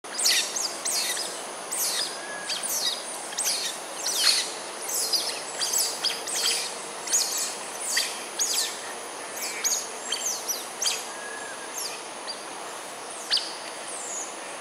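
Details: A wild family of smooth-coated otters at Sungei Ulu Pandan, Singapore, at 7:28 am on 22 November 2021, gives rapid, high, squeaky chirps that fall in pitch, repeating over a steady background hiss.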